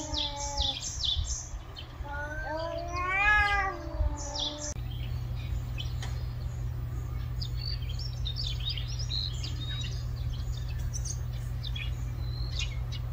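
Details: Street cat giving a few arched, rising-and-falling meows in the first seconds. Small birds chirp high and quick in the background, and a steady low hum runs through the rest.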